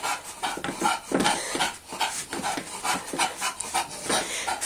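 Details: A female bulldog working out on a stability ball gives quick, rhythmic, breathy panting of nearly three breaths per second, with rubbing and thumping noises between.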